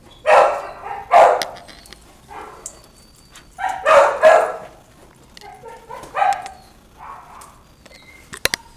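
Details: Puppies giving pairs of short, husky barks separated by quiet gaps. Fainter yips follow later, and a few sharp knocks are heard near the end.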